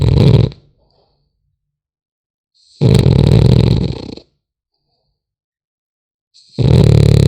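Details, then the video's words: French Bulldog puppy asleep indoors, snoring: deep, rough, rumbling snore bursts, each about a second long, separated by roughly two seconds of silence. "Храп щенка французского бульдога"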